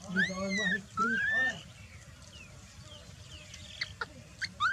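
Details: Baby macaque Dalton lying on the ground, ignored by its mother Dolly, cries in two loud, harmonic, whistled wails, the first rising then slowly falling, the second short and arched, with fainter squeaks and clicks afterwards and a low background rumble.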